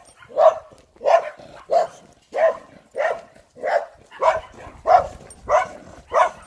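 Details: German Shepherd dogs meeting, one friendly, the other not; steady run of ten sharp, mid-pitched barks spaced roughly two-thirds of a second apart, each a short loud burst, with quiet gaps between.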